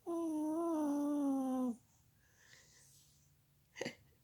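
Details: Sleeping Chihuahua Molly Marie lets out a single steady, nasal, whistly snore of under two seconds that dips slightly at the end. Afterwards the room is near silent, with one soft knock.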